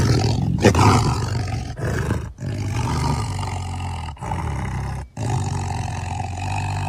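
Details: Continuous low, growling tiger roars with rich harmonics, broken only by a few brief pauses, keeping up a steady rumbling over seven seconds.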